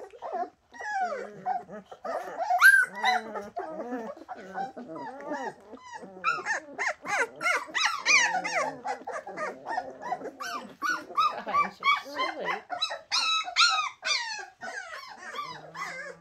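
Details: Several Bernese Mountain Dog puppies crying at once, a dense chorus of rising and falling whines and sharp little yelps that grows busier toward the end.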